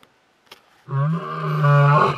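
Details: A male lion roars deeply and steadily to keep the competition away, near Detema Dam in Hwange National Park, 20 October 2019.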